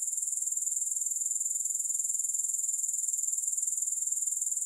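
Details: Steady, shrill insect trill from grasshoppers, with fast evenly spaced pulses running unbroken from start to finish. No music or other sounds are present.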